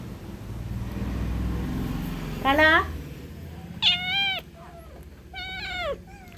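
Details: Pet cat at home with another cat: three loud meows, each rising then falling, spaced over about four seconds, with a person talking in Kannada just before.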